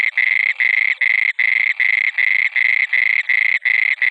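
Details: At night a frog gives a fast run of coarse, buzzing croaks, each about a third of a second long with short gaps, loud and close throughout.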